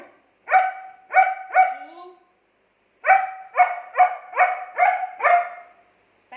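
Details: German Shepherd dog arguing back at its owner: three quick tonal barks, a short pause, then a run of six evenly spaced barks.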